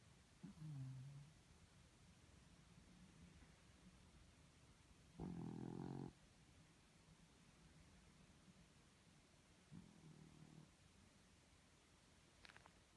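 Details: Doby the dog snoring: soft, low rasping breaths recur, with one louder, rougher snore lasting about a second midway and a fainter one later, in a quiet room.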